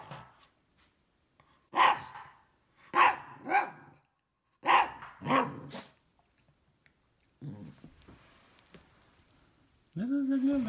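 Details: Isabelle, a female Cavalier King Charles Spaniel, barks at a vacuum cleaner indoors while jumping around it with her toy ball. Five loud barks come in pairs. A steady humming drone starts near the end.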